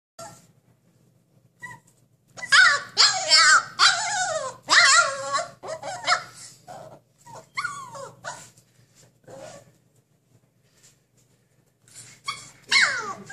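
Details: Siberian Husky causing a ruckus indoors, demanding freedom and justice; loud wavering howls and yowling vocal complaints come in bursts, rising and falling in pitch, with short pauses in between.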